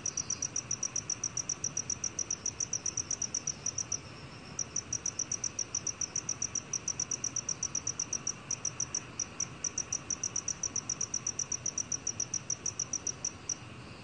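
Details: Sustained calling of a black cricket, 2020 Korean National Institute of Biological Resources recording: long runs of shrill, evenly spaced pulses, several per second, interrupted by short gaps near four and nine seconds, over a soft noise floor.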